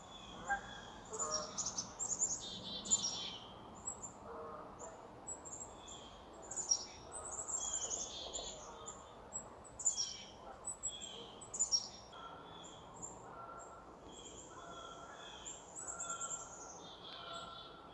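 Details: Chipmunk crying out in surprise: sharp, very high chirps in clustered bursts every second or two, some notes sliding slightly, with fainter lower tones and a soft background hiss between bursts.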